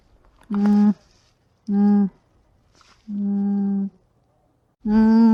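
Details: Alpaca humming: four soft, steady, low nasal hums, each about half a second to a second long, evenly pitched with a flat tone, separated by short silences in a quiet setting.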